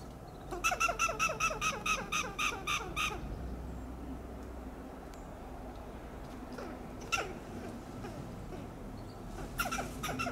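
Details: Western gray squirrel scolding from a coast live oak in Del Monte Forest, California: a long run of around twelve loud staccato clucks, then scattered single notes and a closing burst, over low rumbling background noise.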